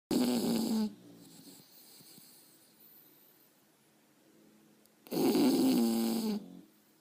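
An English Bulldog snores heavily. Each breath is a loud, harsh, fluttering rattle lasting roughly a second, separated by quiet stretches of soft breathing.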